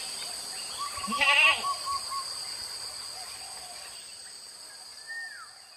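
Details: Village goats released to graze on wild grass in open fields from morning to evening; one short, wavering nasal bleat near the start, under a constant high-pitched whine, with a brief whistled downward sweep near the end.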